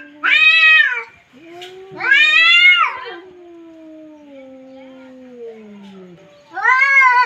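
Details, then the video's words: Cats in a verbal duel or fight: three loud, arched, harmonic yowls, each about a second long, with a long low wavering moan between them that slowly falls in pitch. The setting is quiet, with no other sounds. "CAT FIGHT"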